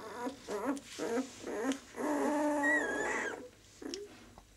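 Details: Six-day-old White German Shepherd puppies from a B litter: a run of short, wavering whimpers with rich overtones, several in quick succession, then a longer drawn-out squeal rising and falling, a pause, and one final brief whine.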